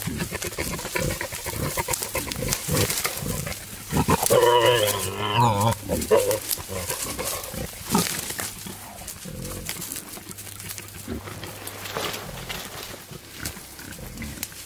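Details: Male wild boar courting a sow in natural surroundings: irregular low grunting throughout, with a loud harsh squealing outburst from four to six seconds, then quieter snuffling grunts over a faint low hum.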